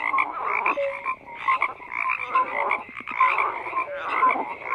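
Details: Chorus of croaking frogs: overlapping raspy croaks in pulsing bursts, short pure tonal notes poking out now and then, brief lull near the first second before the calling swells again.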